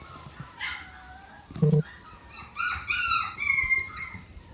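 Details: A 4.5-week-old Miniature Australian Shepherd puppy whines in thin, high, wavering tones, first briefly and then in a longer run of rising and falling whimpers, after a dull thump, with a woman's voice and background music.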